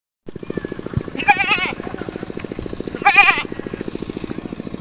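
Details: Goats bleating in two short wavering bursts about two seconds apart, over a steady low engine-like pulsing drone throughout.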